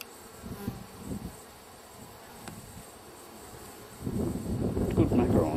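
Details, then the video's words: Bees in a wild hive, wrapped up and ready to be collected. A low, rough buzzing comes in short bursts, then swells into a louder, sustained drone over the last seconds, with some handling noise. "wild bee hive, to collect"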